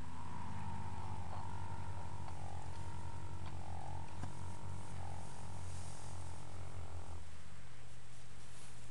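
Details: Dream, a 10-year-old registered Fox Trotter horse, napping in old hay piles one afternoon after romping in the yard; a low, steady droning hum with layered harmonics holds for about seven seconds, then stops into quiet background.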